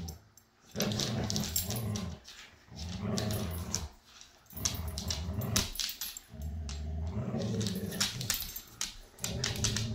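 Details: Jude the Siberian Husky, up for adoption through Pet Harbor Rescue, with foster siblings: four drawn-out throaty rumbles about two seconds apart, mixed with scratchy clicks and rustles of movement.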